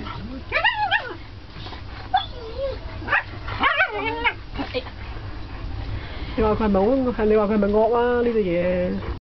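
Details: Two German Shepherd brothers, Rex and Drago, fighting: sharp high yelping barks and whimpers in bursts through the first five seconds, then a long wavering whine-like tone, with Cantonese speech throughout and low background rumble.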